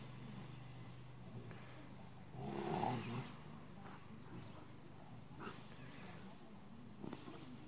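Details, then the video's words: Two Rottweilers play fighting, one sitting in a truck and a younger one joining in, with oldies music on. One short, rough, rumbling growl burst midway, then faint scattered grunts over a steady low hum. "Big Rottweiler Play Fighting"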